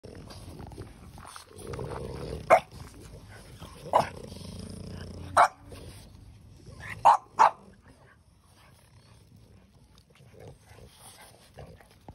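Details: A six-year-old female French Bulldog at a breeder in Hamamatsu, Shizuoka Prefecture, Japan, offered for adoption, gives five short, sharp barks spaced one to two seconds apart, the last two close together, over quiet indoor background noise.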